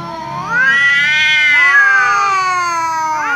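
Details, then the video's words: Angry tom cat yowling loudly in reply to a ginger cat's meowing; long, drawn-out harmonic wail that rises then slowly falls over about three seconds, with a second cat's overlapping cry joining midway. "angry tom cat meows loudly because ginger cat keeps meowing"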